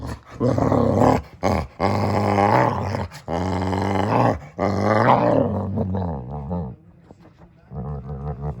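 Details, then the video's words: Samson the Boxer letting out a run of throaty, groaning grumbles, each drawn-out and wavering in pitch, separated by brief breaths, easing into a quieter low rumble at the end. "Boxer makes Funny Sounds"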